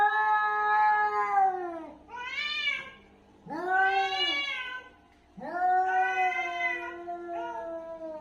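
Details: Angry domestic cat in an aggressive fight, giving long drawn-out wailing yowls that rise then slowly sag in pitch, four harsh harmonic howls separated by brief silences, a faint steady hum underneath.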